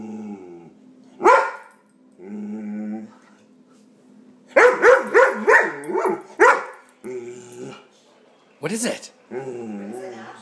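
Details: A dog going nuts over a hated air pump: a short yelp, low groaning whines, then a rapid run of five or six rough barks followed by more wavering moans; a human voice talks quietly alongside.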